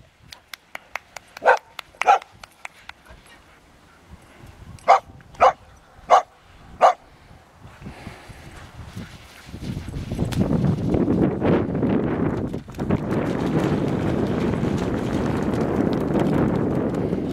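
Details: Excited dog playing with a stick for the first time at sand and water, giving sharp barks, a pair early on and then four spaced about half a second apart, before loud rushing water or wind noise takes over.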